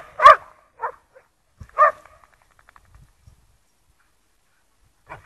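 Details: Lurchers enjoying the snow at Priory Marina, Bedford, give three short, sharp barks about three-quarters of a second apart. Then a quiet gap follows with faint thuds, ending with one soft distant yip.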